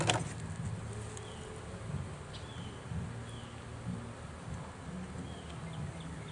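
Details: Bees from a newly caught swarm being pulled out of a swarm trap, the first trap to catch bees; a steady low droning hum that swells and fades, with brief thin bird chirps above.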